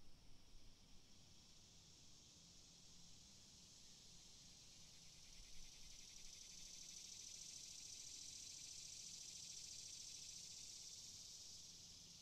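Cicadas give a steady, high, shimmering buzz with a faint pulsing texture over a low rumble.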